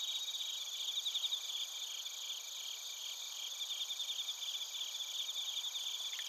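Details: Crickets and bell crickets (suzumushi) calling at Narita, Chiba Prefecture, Japan, captured on a TASCAM Portacapture X8: dense, high, rapidly pulsed chirps repeating steadily over a continuous shrill ringing background, no other sounds.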